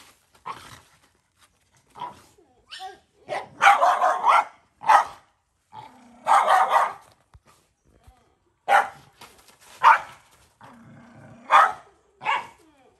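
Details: Protective mother dog, a stray on a farm in Cambodia, guarding her puppy as a boy gives it food: irregular volleys of harsh barks, some drawn out into snarls, with low growling between.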